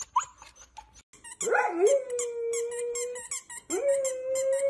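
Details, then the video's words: Golden Retriever howling: a few short yips first, then a long, steady, rising-then-level howl. A second howl starts after a brief gap, with faint high chirping squeaks throughout. "Golden Retriever Barking Sounds To Make Your Dog Bark | Aggressive Growling"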